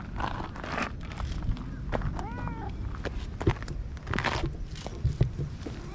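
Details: Stray feral cat approaching to be stroked, recorded on a GoPro; a single short arched meow midway, surrounded by rustling, fur-rubbing and scuffing sounds.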